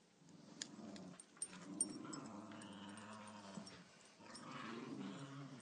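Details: Cairn Terriers Walter, Cordelia, Lily Beth and Chewy playing together, with low rumbling growls running for several seconds, a short pause, then another rolling growl bout; a few sharp clicks and scuffles are heard over the play.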